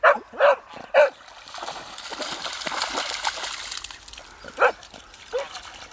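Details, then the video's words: A beagle barking at ducks outdoors gives three quick, sharp barks, then two more a few seconds later, with splashing water and a soft human voice between them. "Beagle barking at ducks"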